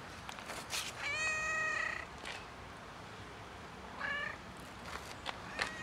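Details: A huge tiger cat that desperately wants attention more than food meows: one long, drawn-out, harmonic meow held about a second, then a shorter, quieter meow a few seconds later, over faint background noise.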